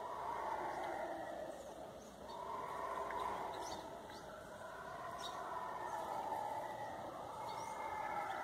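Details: Howler monkeys in the forest giving an eerie roaring chorus: a broad, droning roar that swells and fades in long waves, sustained throughout, with faint insect or bird ticks above.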